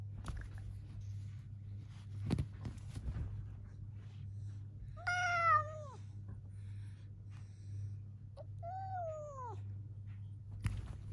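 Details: Pet cat in a squabble with its owner meows twice, a few seconds apart, each a short bending wail that rises then drops, with scattered knocks and a constant low hum indoors.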